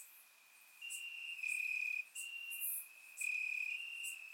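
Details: Crickets on a warm summer night in Bulgaria, chirping in the grass; a quiet start gives way to sustained high trills, with two louder bursts of under a second each, surround microphone recording.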